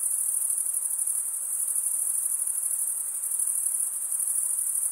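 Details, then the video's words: Chorus of crickets producing an unbroken, high, metallic trill, evenly sustained with subtle rhythmic flutter and a brief slight dip in loudness midway; faint diffuse hiss underneath, nothing else audible. "Most relaxing cricket sound for 8 hours"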